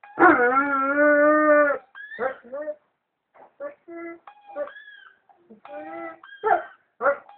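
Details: A male White German Shepherd howling to a played clip opens with a loud, strained howl of nearly two seconds, followed by scattered shorter whines, yips and brief tones, with some voices mixed in.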